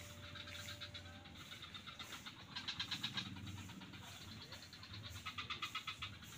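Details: Frogs calling in swamps near Kuta beach, Bali: bursts of rapid, rattling pulses swell and fade over a steady low rumble, with several callers overlapping, the loudest run near the middle.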